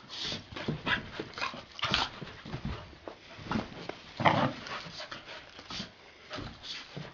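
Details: Two puppies, Gidget and Garnet, wrestling in play indoors; scuffling, short rough growls and snuffling bursts come in an irregular stream, with louder grumbles around the middle.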